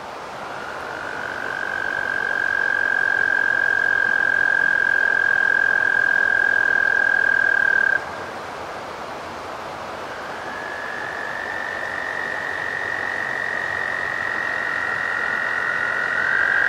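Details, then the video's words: American toad: a long steady high musical trill lasting about eight seconds, then after a short pause another trill begins slightly higher and holds, with a second overlapping caller; soft background hiss. "American toad (Bufo americanus)"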